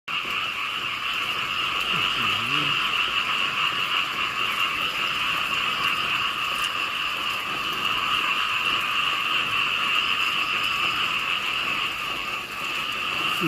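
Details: A dense chorus of small frogs, many callers together, makes a steady, loud, unbroken drone with a high buzzy layer over a lower one. No gaps or single voices stand out.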